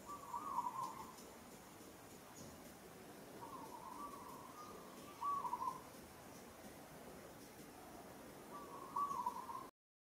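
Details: Struggling under the strong hands of another monkey, Sada, the monkey Moka gives four short wavering tonal cries at irregular intervals over ten seconds in Kampong Cham Province, Cambodia, over steady low background noise.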